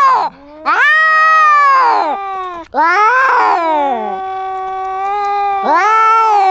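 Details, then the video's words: Fighting kittens trade loud yowling wails, each rising then sagging in pitch, broken by short gaps, one long low steady moan held between harsher outbursts. "Crazy Cat Fight! How Far Will Kittens Go in Arguments?"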